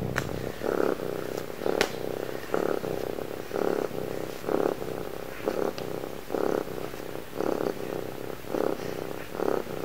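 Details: Cuddly pet cat purring in steady rhythmic pulses, about one throb per second, a low rough rumble filling the room with faint rustling.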